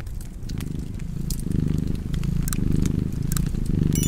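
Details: Domestic cat purring beside a crackling fireplace: a steady low rumble that swells and eases in cycles about once a second, with sharp pops and crackles of burning wood over it.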